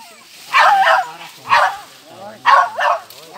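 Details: Young civet found at Cikereteg, giving harsh, raspy bursts, each split into two quick pulses, about one per second, with faint voices in between.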